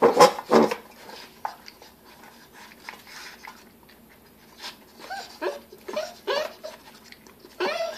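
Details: A 7-week-old male Bull Terrier puppy makes loud snorts and little grumbling noises at its food.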